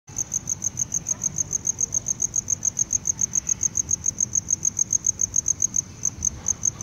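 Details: Tropical house cricket (Gryllodes sigillatus), calling song.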